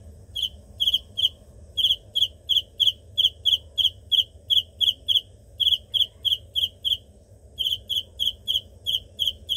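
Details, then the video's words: Shrill pulsed chirps of a cricket, bright trilled bursts repeated about three times a second, with one brief pause partway through before the series resumes; soft low hum in the background. "Cricket insect sound"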